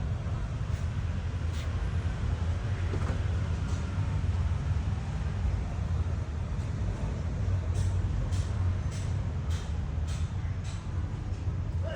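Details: Continuous low engine rumble, like an idling vehicle, with faint clicks above it and no animal sound.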